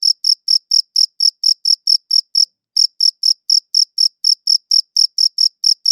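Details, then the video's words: Crickets chirping on a dedicated audio recorder, shrill short pulses repeated around four times a second, broken once by a short silent gap midway, then continuing at the same steady pace. "Cricket Chirping Sounds"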